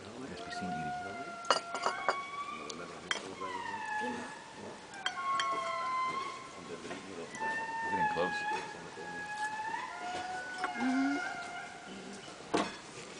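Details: Indri song at Andasibe, Madagascar, heard at breakfast in the early morning: indri call to each other in long, eerie wailing notes that slide up and down in an overlapping chorus, then stop abruptly.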